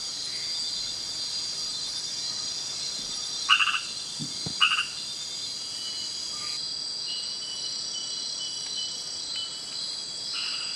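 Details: Nighttime frog in Kubah National Park, filmed with a Panasonic GH4: two brief pulsed croaks about a second apart, then scattered faint calls, all over a constant high-pitched chorus of insects.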